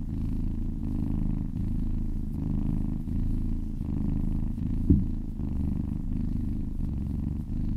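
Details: Contented kitten purr during a massage: a deep, buzzing rumble pulsing in regular in-and-out breath cycles, with one short tap or knock partway through.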